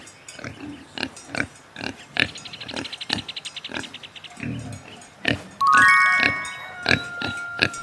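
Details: Pig on a farm giving a run of short, rough grunts, roughly three a second, over children's music with chiming tones and a brief melodic flourish near the end.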